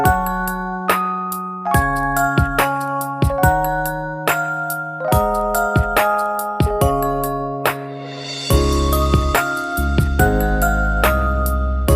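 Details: Bright chimes in a glockenspiel- or marimba-like melody ring out over a low sustained bass tone, with a denser swell of struck notes near the end and no animal voice.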